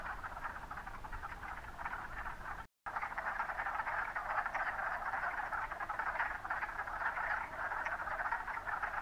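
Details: A dense chorus of wood frogs (Lithobates sylvaticus) at Mont Saint-Bruno gives steady, raspy, duck-like clucking that overlaps without pause.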